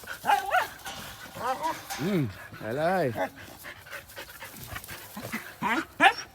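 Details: Three Thai Bangkaew dogs running about playfully; two short, arched yelping barks stand out among a person's excited talking and shouts.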